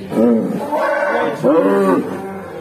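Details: A black cow that suddenly began making strange, eerie sounds gives two drawn-out, harmonic bellowing calls, the second rising and wavering.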